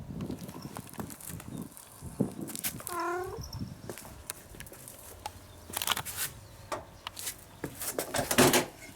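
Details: Hungry domestic cat meowing loudly because it wants its food soon. The meow is so loud that another cat runs away startled. A single drawn-out meow near the middle has stepped, falling harmonics, surrounded by household clatter and scuffling.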